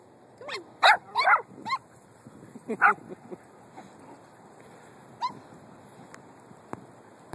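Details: Several puppies at play, prancing about; short, high yips and squeaky barks come in quick bursts near the start and again mid-clip, with faint whimpers and quiet room noise between.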